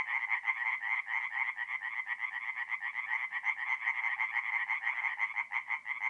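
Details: Singing tree frogs at a forest pond by night in April, north-east Italy; closer callers give quick series of nasal pulses that swell and fade roughly twice a second over a continuous background chorus.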